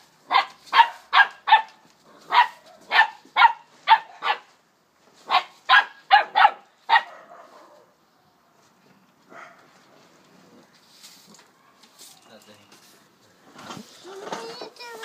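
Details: A 12-week-old female Springer Spaniel puppy barks rapidly inside a room, with a run of about a dozen high, clipped yaps in seven seconds, then near silence broken by faint rustling.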